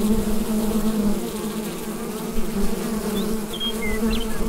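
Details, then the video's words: Continuous low droning of bees in their hive, picked up by a Rode NT-USB microphone, while a few brief, high bird chirps sound faintly over the buzz near the end. "Bee Hive Sound Effect"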